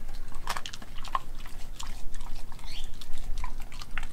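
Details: Raw-fed dog Nala, a Kelpie and German Shepherd cross, munching raw beef and chicken; sharp crunchy clicks and moist chewing smacks repeat rapidly in a small room.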